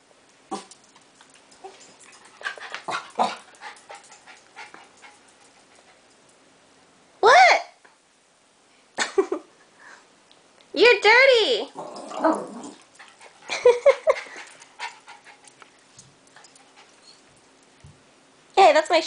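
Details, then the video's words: Pet dog indoors in a small room throwing a tantrum after hearing people outside and being kept in; bursts of harmonic whines and short howl-like yelps, separated by pauses, with a person talking to it throughout. "Talking Dog"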